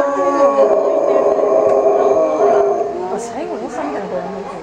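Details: Group of Chinese wolves at Tennoji Zoo, Japan, 8 October 2015, all calling at once, a sound less like a true howl. Layered sustained tones blend into wavering, yipping, up-and-down calls toward the end, with a faint higher squeak.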